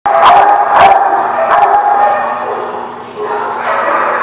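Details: Dogs barking in a lot, with loud overlapping barks in a quick burst at the start and ongoing rough yapping beneath, and a person's voice mixed in.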